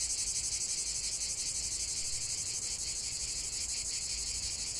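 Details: Cicadas in chorus, a relaxing nature recording: a dense, continuous high-pitched buzzing, pulsing rapidly and steadily throughout, with no other clear sounds.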